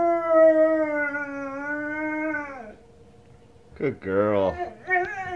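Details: Female Presa Canario dog at home howling in response to wolf howls on TV: a sustained, even, tonal howl for over two seconds that drops away. After a pause, a woman speaks in a warm, praising voice.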